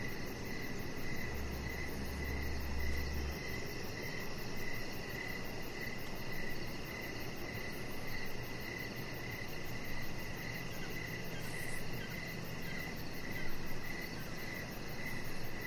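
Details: Crickets chirping in the evening beside a deck outdoors: a steady train of short, even chirps, about two each second, over a constant broad hiss with a low rumble.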